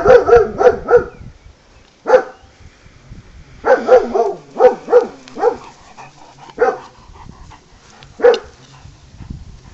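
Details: Impatient German Shepherd Kaiser barks during a ball game: a quick triple bark opens, then single barks and clustered pairs follow irregularly, loud and sharp, with quiet scuffling between.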